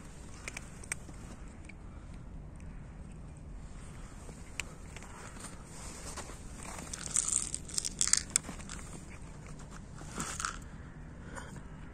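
Crunching, crinkling chewing noises over a low steady rumble, with no animal calls.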